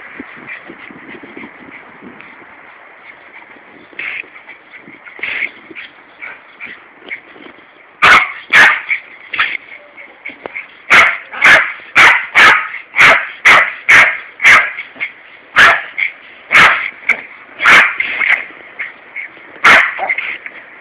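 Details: Larry the Yorkshire terrier wages war on a garden hosepipe in Corby during a summer heatwave. A steady high hiss with faint scattered yips is followed by a rapid run of loud, high barks, roughly two per second.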